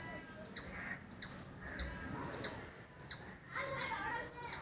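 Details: Squirrel calling in a village: sharp, high, clipped chirps repeated steadily about every 0.6 seconds, seven in a row, each with a bright ringing overtone, over faint, softer bird twittering in the background.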